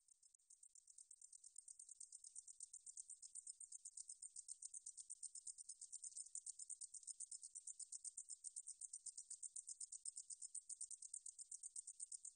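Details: Meadow katydid (등줄어리쌕쌔기) calling: a long, steady run of very high, thin, rapid ticking pulses, buzzy and sizzling, kept up without a break over a silent background.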